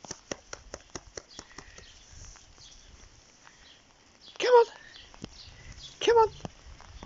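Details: Vizsla dog disliking the rain: two short, sharp whining yelps a second and a half apart, each bending upward then down, after a stretch of scattered clicks and tapping, with faint murmurs in the background.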